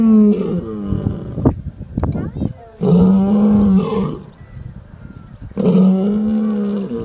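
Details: Sleeping lion snoring: three drawn-out, low, buzzing, tonal breaths arrive roughly every three seconds, each one rumbling with layered harmonics. Softer crackling breath noise fills the pauses between them.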